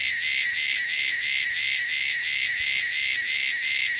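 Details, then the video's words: Loud wilderness cicadas keep up a shrill, high-pitched buzz pulsing evenly about three times per second throughout. "cicadas sound"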